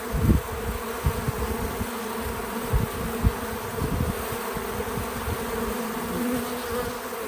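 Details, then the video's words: Bees visiting a feeder outdoors on a small farm: a steady low droning hum with layered bands, and bursts of low rumbling thuds, likely wind or handling, through the first half. No music or talking. "Relaxing Bees at the Feeder 🐝 | Natural Buzzing Sounds"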